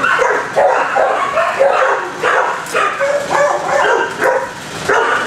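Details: Kennelled dogs barking in rapid overlapping bursts, sharp yelps layered over deeper barks, ringing in an echoing enclosed space.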